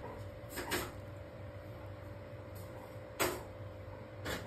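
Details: Quiet room hum with a few sharp crunching or knocking sounds, probably from cabbage being eaten, and no animal voice heard.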